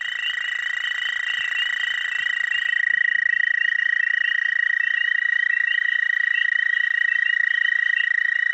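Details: Chorusing male Dwarf American toads (Anaxyrus americanus charlesmithi) at a small breeding pond in spring give advertisement calls: long, steady, high musical trills, several overlapping.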